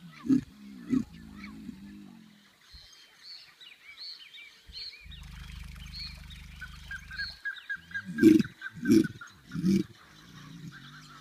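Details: Caiman bellowing in the Pantanal, used for attracting mates and claiming territory: deep, low rumbling bursts, three at the start and three more near the end, with a steady low drone in between and faint higher bird calls above.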